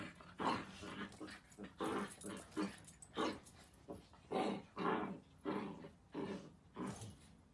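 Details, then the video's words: Miniature Dachshund, or wiener dog, from a funny compilation, giving about a dozen harsh growl-barks in a steady rhythm, roughly one every half second to second, with nothing else clearly heard. "Funniest Miniature Dachshund dogs 30 minutes videos compilation"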